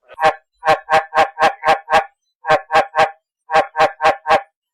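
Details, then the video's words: Rainy-season breeding calls of field frogs at night, played through a loudspeaker as a lure: short, resonant 'op op' croaks in tight runs of three to six, separated by brief silent pauses, with no other sounds. "Tiếng Êch Đồng Kêu ộp ộp ộp"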